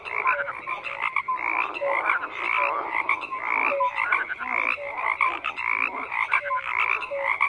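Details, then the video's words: Many frogs croak together, harsh pulsed calls and brief piping notes repeating in overlapping bursts about once a second. "FROGS CROAKING"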